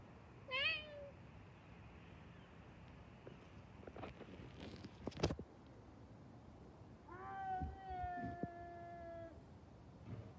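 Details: Cats in a fight: a short rising harmonic yowl near the start, then scuffling thumps, then a longer drawn-out wavering yowl with strong overtones lasting about two seconds before tailing off.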